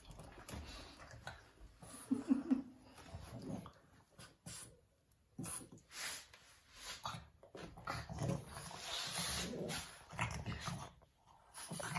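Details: A pair of Boston Terriers scuffle without a reason inside a small room. There is a short tonal growl-whine around two seconds, followed by bursts of snorting, grumbling scuffle noise and brief pauses.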